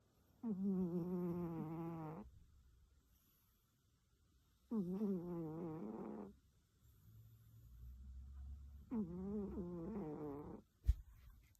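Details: Loud snoring from a sleeping cat: three deep, droning, harmonic snores, each nearly two seconds long, about every four seconds, with a soft, low, rumbling breath between them and a sharp click near the end.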